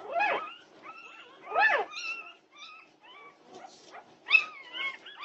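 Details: Norwegian Buhund puppies at night, 2:30 am on June 8, 2021: sparse whimpers and thin, level whines separated by brief pauses, with a few sharper yelps breaking in.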